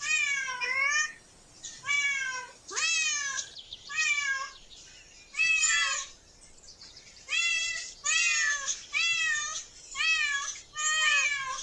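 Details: Cats in a park, one of a group exploring and relaxing while a family with a child looks on. About ten high, drawn-out meows, each sliding downward with rich overtones, come in bursts roughly every second with short quiet gaps between.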